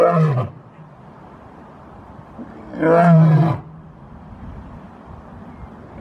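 A lion gives two deep, rasping roars, a few seconds apart.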